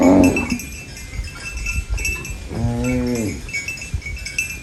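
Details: Farm cow eating banana leaves; after a brief loud scrape at the start, one short nasal moo of under a second rises and falls over a background of rustling and faint ringing.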